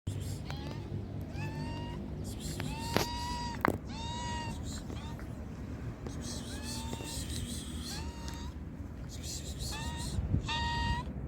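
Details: Hungry stray cats being fed on the streets of Morocco, meowing over and over: a steady run of clear, rising-then-falling meows, roughly one each second, over low street rumble and a voice calling.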